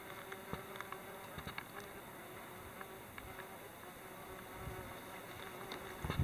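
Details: Wasps at their nest tucked under an old pan that serves as a flowerpot stand on a wooden log; a low, steady humming drone with scattered faint clicks and brief louder bursts near the end.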